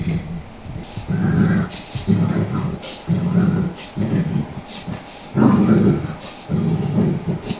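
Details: Bentley, a large Golden Saint Bernard, rolls on a living room carpet scratching his itches, growling with every roll out of enjoyment; low rumbling growls repeat about once a second amid rustling of fur on carpet.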